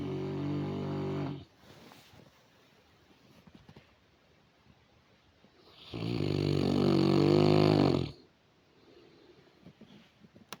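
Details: Saint Bernard asleep and snoring loudly: a long, rich, rattling snore at the start, a quiet gap, then a louder drawn-out harmonic snore lasting about two seconds, with soft breaths in between.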